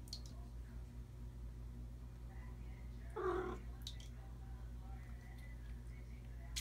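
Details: A Bengal kitten that enjoys water in the bathtub gives a single short, slightly strained meow over a steady low hum.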